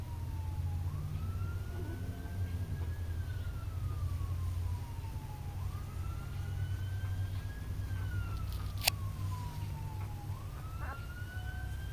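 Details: A wailing siren rises and falls in slow sweeps, repeating about every five seconds over a steady low engine rumble, with one sharp click near the ninth second and no animal voice.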